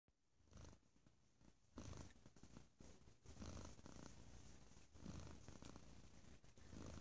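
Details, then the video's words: Domestic cat purring loudly: a low, steady rumble pulsing in slow cycles of roughly one to one and a half seconds, with soft rustling in the background. "Bo Is Quite the Loud Purrerer"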